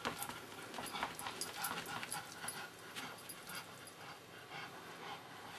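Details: Pet Pekingese Pingeling, fond of his red fuzzy pillow, giving short hissing breaths in bursts that are denser over the first three seconds, then fainter, over light rustling.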